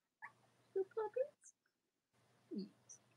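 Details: Cavalier King Charles Spaniel puppies of Robin and Myra, watched indoors by live stream on a chilly late-October Monday morning in the US, give three quick high squeaks in a row, then a lower grunting whimper after a pause.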